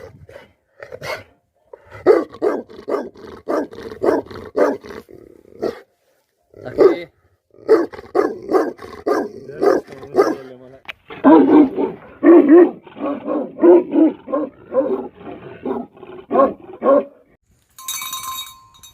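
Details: Tibetan Mastiff, the Himalayan livestock guardian dog known in Nepal as Bhote Kukur, barking loudly in runs of several deep, rough barks separated by short pauses, with a brief clatter near the end.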